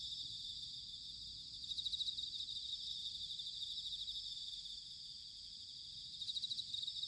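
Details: Bell cricket singing in autumn in Sanuki, Chiba, Japan: a steady, high shimmering insect chorus, with two brief louder pulsed bursts near two and six and a half seconds standing out above it.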